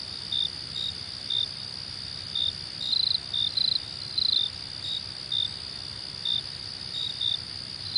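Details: Shrill cricket chorus, jhi jhi poka: unbroken high drone with frequent brief chirps and occasional rapid pulsed bursts repeating unevenly, about twice a second.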